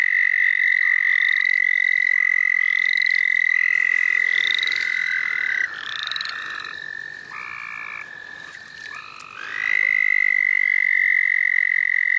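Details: Frogs in the St. Olaf College Natural Lands during a frog-catching outing: long, steady high trills from several overlapping callers hold for seconds, with short rising chirps layered above and a brief quieter gap midway.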